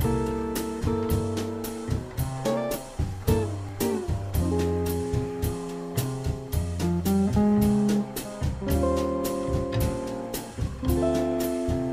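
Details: Upbeat guitar and drum-kit music with plucked chords plays throughout, with no animal sound audible.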